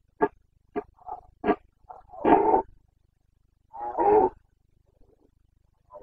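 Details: Carpathian red deer stag in the mountains of Bucovina, Romania, during the breeding season (boncănit), 29 September 2022: a string of short, clipped grunts, then two longer, hoarse, rasping roars about two seconds apart, with a quiet setting.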